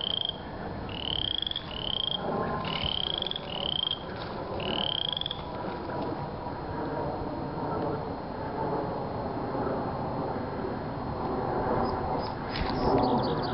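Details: Spring's first frog gives a quick run of rising, whistle-like notes in the opening five seconds. The calling then stops, leaving broadband background noise and a few faint clicks near the end.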